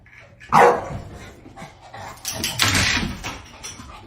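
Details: A dog gives one loud, sharp bark, followed by a rougher burst of noisy barking or scuffling about two seconds later, with faint background sounds in between.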